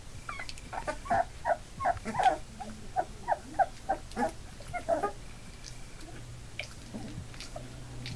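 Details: A litter of eight Labrador Retriever puppies, almost three weeks old and newly mobile, squeak in a run of short whimpers for about five seconds before fading to faint occasional cries.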